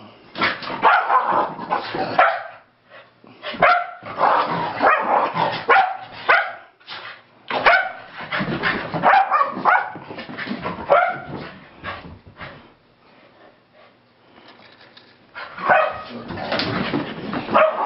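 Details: Keeshonds playing wildly right after coming home from a long walk: a tangle of rough, excited barks, yips and growly play noises in dense bursts, with brief quieter pauses between.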